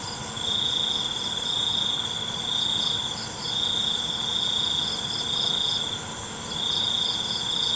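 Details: Night-time cricket chorus: a piercing, even trill sounds in bursts of about one to two seconds with short pauses between them, backed by a dense, continuous hiss of other insects.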